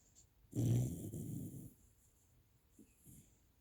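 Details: A Shiba Inu snoring loudly: one deep, rough, rumbling snore lasting about a second, then near quiet with a few faint, soft breaths.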